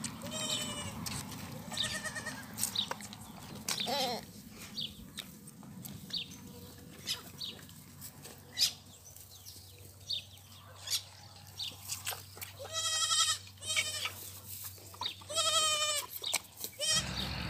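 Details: Rejected goat kids being bottle-fed, several harmonic, quavering bleats at about 0.5, 2, 4 and 13 seconds, repeated calls between quieter stretches, with low hum and scattered clicks and knocks throughout.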